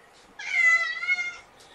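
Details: Kitten of rescue mother Seraphina's litter of four (three males, one female), transferred from a Lewis County, Washington shelter to Purrfect Pals, meowing at lunchtime while being handled: one clear drawn-out meow, steady and slightly falling, in a quiet room.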